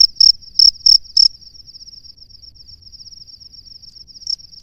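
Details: Male cricket calling to a female from its nest: four loud, sharp, high chirps in quick succession, then a faint steady high trill, then two more chirps returning at the end.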